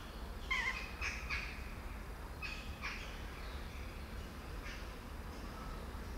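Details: Several faint, brief kitten mews from young kittens whose mother hides, scattered through the recording in little clusters, thin and high, with steady low background hum throughout.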